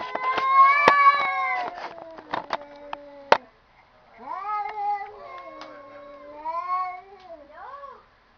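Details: Domestic cats sounding as if talking to each other indoors: a run of loud, drawn-out harmonic meows, one rising and falling after another, with clicks and knocks in the first half and a softer wavering meow series after a brief pause.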